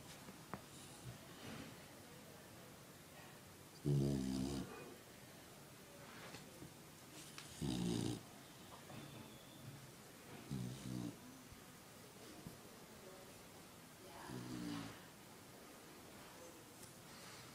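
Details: Sleeping puppies snoring loudly, four low rasping snores with a buzzy rumble, each roughly half a second to a second long and spaced about three to four seconds apart, against a quiet indoor background.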